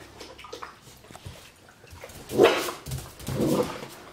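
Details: Young Labrador Retriever puppy Andy, eight weeks old, facing his own reflection in a mirror inside a room; a couple of soft, breathy yaps near the end, preceded by faint shuffling.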